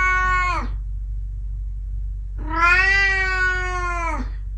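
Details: An old domestic cat meowing after a trip to the garden. A short, clear meow is followed after a pause by a longer, drawn-out, even-pitched meow with rich overtones. A steady low hum runs in the background.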